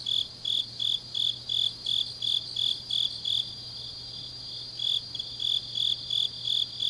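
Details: Late-night autumn grass insects in Changnyeong, South Gyeongsang: a rhythmic high chirping that pauses for about a second midway, then resumes, over a fainter continuous higher trill and a faint low hum.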